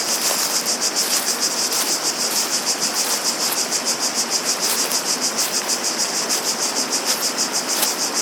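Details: A chorus of cicadas gives a shrill, sizzling drone with regular throbbing pulses roughly three per second, set against a steady wash of running water and a few faint clicks.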